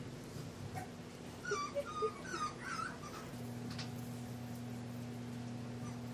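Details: English bulldog puppies Scout and Boss, raised at Siess Ranch, whimper in a short run of thin, wavering whines around the middle, then go quiet under a steady electrical hum indoors.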